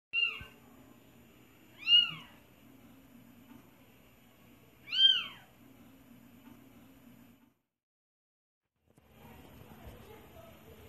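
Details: Kitten giving three high, thin meows, each a short arched mew rising then falling, spaced about two to three seconds apart over a low steady hum; a brief silent gap follows, then soft rustling indoors.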